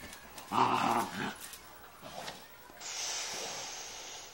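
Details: A Doberman Pinscher playing with another dog gives a brief rough, throaty growl, followed by a steady hiss.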